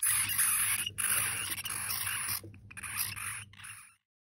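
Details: Djungarian hamster pups about two weeks old, eyes just open, give a dense, shrill chorus of overlapping alarm screams after their mother is removed, one starting and all the others joining in.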